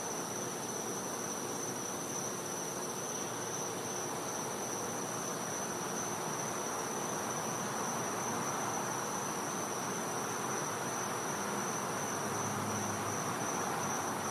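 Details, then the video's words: Cicada in a Floridian back yard at night in winter, a steady shrill tone sustained for the whole stretch, over continuous hiss, with a faint low hum appearing near the end. "Cicada Sounds | Florida | Night"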